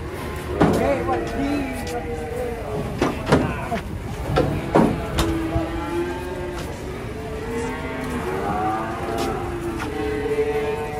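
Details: Giant cattle, agitated while being unloaded from a truck in Indonesia. Several long, low moos with stacked harmonic bands overlap and waver, mixed with men talking and calling out, and sharp knocks and clanks.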